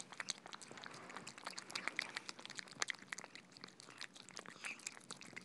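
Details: Cats eating soft food indoors, close wet smacking and chewing clicks in quick irregular bursts, no voices heard.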